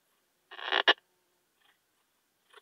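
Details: Poecilimon gracilis bush-cricket in Hajnzgraben, Austria, on 19 August 2021: one short raspy broadband buzz quickly followed by a sharp click, then near silence with faint ticks.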